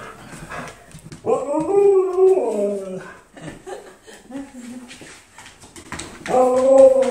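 A husky howls in long, wavering, rising-and-falling tones, joined by people howling along.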